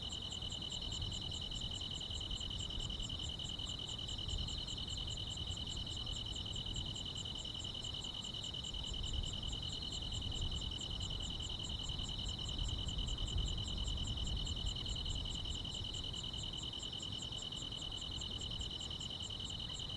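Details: Grass insects singing on a summer night, layering a continuous shrill drone with a brisk, regular series of higher chirps that never pause. A soft low-frequency background murmur swells and fades.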